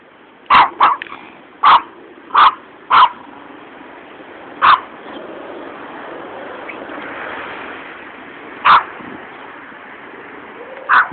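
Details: Two small Yorkshire Terriers barking at a passer-by walking along a road on 28 March 2007; sharp, high yapping barks, several in quick succession and then spaced every few seconds, over steady background hiss.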